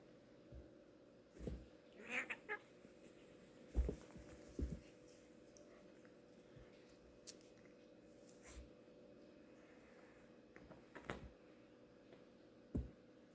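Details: Two pet cats, Felix and Jasper, playing together indoors; a short rising meow near the two-second mark among scattered soft thumps, knocks and scuffles from their play in a quiet room.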